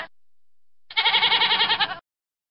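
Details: A single wavering, rapidly pulsing goat bleat lasting about a second, with silence around it.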